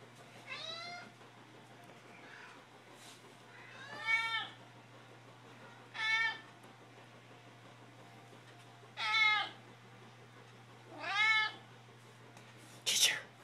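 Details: Pet cats Mittens and Ginger meowing for food: five or six loud, drawn-out harmonic meows, each rising then falling, spaced about two seconds apart, with a steady low hum beneath and quiet gaps between.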